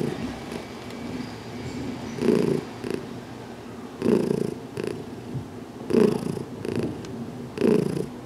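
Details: Heidi, a cat newly settled for a little over two weeks, purrs contentedly while her head is massaged in a closet on June 6, 2019; deep breathy purr surges swell roughly every two seconds over a soft continuous rumble.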